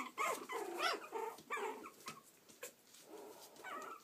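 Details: Yorkshire Terrier pups in Stockport, Cheshire, UK, uttering loud, wavering, harmonic yelps and whines in quick succession, some with a rough growly edge, separated by short pauses.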